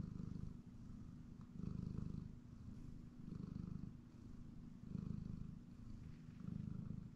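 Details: Hellion the cat purrs during a nap on a comfy chair at home: strong low rumble in regular breathing cycles, each swell lasting about a second, alternating louder inhale and quieter exhale phases.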